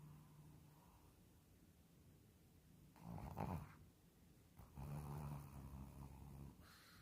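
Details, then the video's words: Shih Tzu asleep and snoring, with two rough, low, rumbling snores a second or two apart, the second longer and throatier, over a faint background hum. "Shih tzu roncando."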